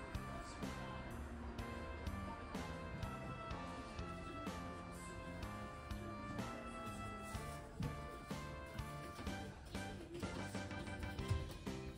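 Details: Upbeat instrumental music with steady plucked and percussive beats throughout, no animal voice.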